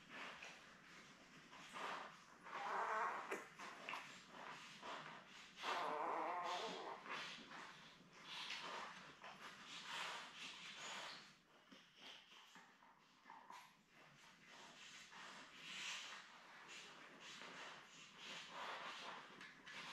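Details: Newborn Labrador Retriever litter of seven, born May 24, 2021, with their mother Belle, on a live puppy cam on June 4; short high whining cries rise around seconds 3 and 6, then softer scattered squeaks and rustling continue throughout.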